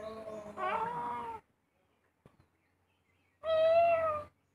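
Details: House cat: two drawn-out nasal meows about two seconds apart, the first wavering and slightly rising, the second steady and clear, with a faint click between them in an otherwise quiet room.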